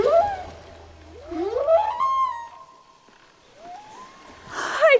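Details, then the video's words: Underwater humpback whale song, whose sounds can carry hundreds of miles: a rising whooping cry flows into a long steady tone, then another upward sweep and a final bright wavering note. "Yes, that's from a humpback whale. These sounds can travel hundreds of miles."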